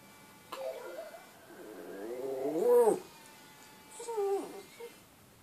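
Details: Pet dog howling to wake its owner: a short whine, then a wavering, rising-and-falling howl lasting about a second, and a final shorter falling howl, indoors.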